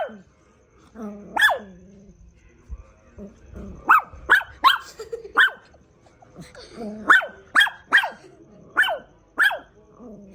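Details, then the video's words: A dog gives loud, clipped barks, first singly, then in quick runs of three or four, with brief pauses and low grumbling between the bursts. "Funny Dog video"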